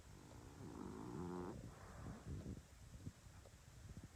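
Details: English Bulldog. Heavy, throaty snoring from an English Bulldog fills the first seconds, a low buzzing rattle on the breath. It trails off into softer snuffles and breathy snorts.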